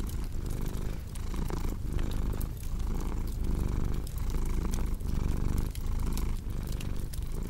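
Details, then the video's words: Purring house cat: deep continuous rumble pulsing in breath-length waves just under a second apart, with soft fireplace crackles ticking in the background. "Purring Cat with Cozy Crackling Fireplace Sound"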